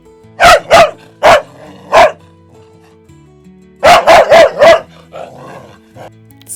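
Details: Dog barking, used as a quiz sound in a children's learning piece about farm animals: four short sharp barks, a pause, then four more in quick succession, over soft background music.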